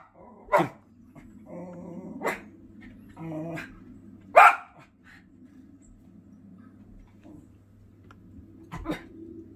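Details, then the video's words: Male Schipperke chasing birds off his property, giving four scattered sharp barks over several seconds against a steady low hum and faint background noise. "Schipperke telling the birds who's boss"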